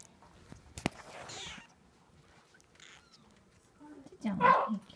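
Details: Eighteen-day-old Munchkin kitten gives a single loud, tonal mew near the end, preceded by sharp clicks, soft rustling and faint thin sounds in a quiet indoor setting.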